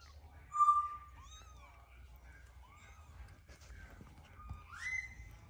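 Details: Mother cat with her restless kitten, the mother hugging and washing it; thin tonal mews, some rising and falling, come at intervals, with one louder upward-sweeping call near the end over a quiet low hum.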